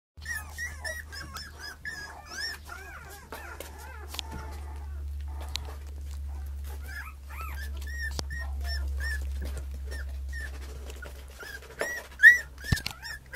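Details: Male puppy, third in the litter, 35 days old, filmed on 7 October at weaning-food time; thin high squeaky whimpers repeated in quick runs with short pauses, over a steady low electrical hum indoors.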